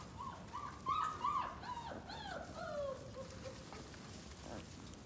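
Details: Kangal dog giving a run of high, tonal whimpers and whines, several short level squeals followed by drooping, falling whines over about three seconds, then fading into quiet background hiss.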